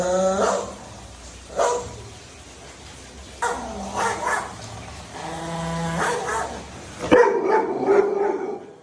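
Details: Dhoni, a pet Labrador Retriever, barks in short tonal bursts with strong harmonics, some in quick doubled runs, separated by pauses. A sharp click and a busier mix of sounds take over near the end.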